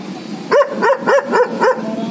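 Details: A German Shepherd dog barking in a quick, even series of five short, sharp barks, one roughly every quarter second, over a steady background hum.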